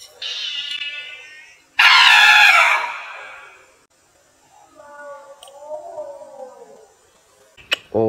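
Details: A cat in Cambodia, said to be poor and short of food, cries in harmonic meows: falling wails, then a loud harsh burst, then a softer arching meow, while a person exclaims nearby.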